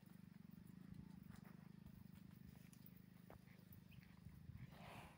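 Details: A village buffalo gives a deep, steady grunting rumble with a fast pulsing throb.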